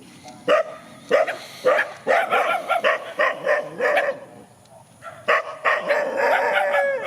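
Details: Dogs facing each other in a countryside field, a rapid run of barks roughly twice per second, then a pause and more barks ending in a short howl.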